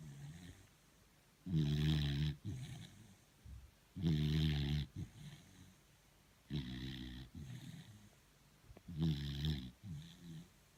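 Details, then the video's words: Sleeping beagle Thor, tired out, produces four heavy guttural snores at intervals of about two and a half seconds, with faint snuffling breaths between them in a quiet room. "Торун храпун! 😴Собака спит, она устала."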